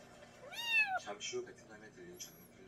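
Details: One strong, rising-then-falling meow from a domestic cat used against countryside rats, followed by softer scattered chirps and indoor background noise.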